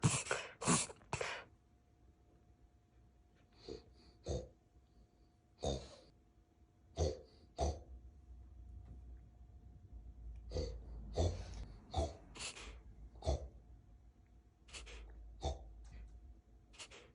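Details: A male puppy gives short, harsh, pig-like snorts in irregular bursts, with quiet breathing between them.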